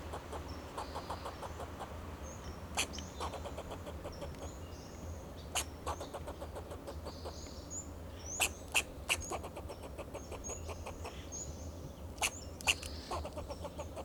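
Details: Alarm calls of a fox squirrel perched on a Monterey pine, Del Monte Forest, California, defending itself and its territory: bursts of rapid dry chucks separated by pauses, some loud single barks, faint high bird whistles over a steady low hum.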